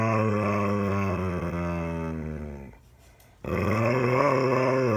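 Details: Rescued dog Daisy giving her owner a talking-to indoors, an almost daily complaint; a sustained, rich harmonic grumbling groan wavering in pitch, a brief pause, then another rumbling, undulating moan.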